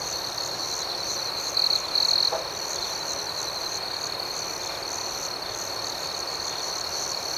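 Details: Night crickets: an unbroken high, shrill chorus with two short, louder chirping bursts close together early on, otherwise an even ringing hum.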